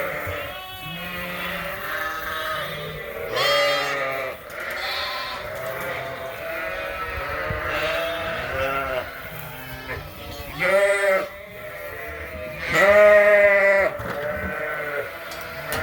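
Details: A barn full of Suffolk lambs at Ewetopia Farms, mixed into one group after a gate was left open. Loud, shaky bleats come in short separate bursts from several lambs, with quieter calls between them.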